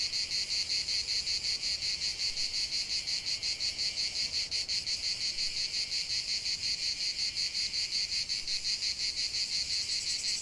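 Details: A dense chorus of cicadas in a lavender field gives a loud, continuous, high buzz with rapid, regular pulses, several insects overlapping into one shimmering wall of sound.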